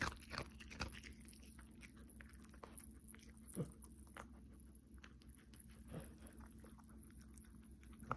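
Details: Cookie the Pomeranian eating close up in December, soft intermittent crunches and clicks of chewing at uneven intervals, quieter than a loud bite, over a low steady hum.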